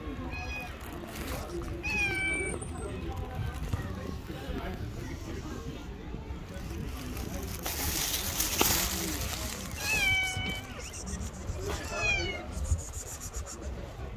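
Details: Pregnant stray cat on the street, refusing the food she was given, gives several short, rising-falling meows spaced a few seconds apart over steady outdoor noise and some talking.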